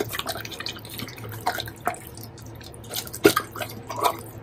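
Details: A Doberman chews through a heap of bacon at close range, ASMR style: moist squelching bites and sharp crunchy clicks come in uneven clusters with short quieter gaps, loudest burst just past three seconds.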